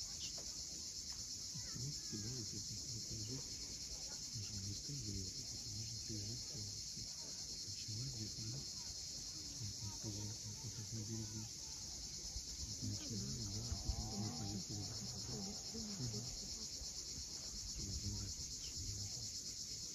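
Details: Evening cicadas along the steep shore of Cape Fiolent, Crimea, produce a level, sustained high whine for the full stretch, with irregular low tonal sounds and a brief knock near the end.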